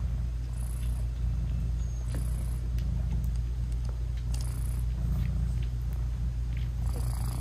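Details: British Shorthair mom cat purring as she nurses and talks sweetly to her newborn kittens; unbroken low purr, a few soft breathy noises drifting in and out above it.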